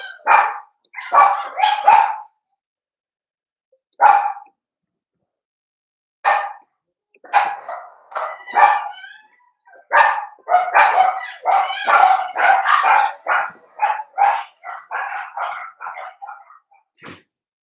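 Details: Cavalier King Charles Spaniel puppies playing in a home puppy pen: high-pitched puppy barks and yips, first spaced in short bursts, then a fast continuous run of excited barking that tapers off near the end.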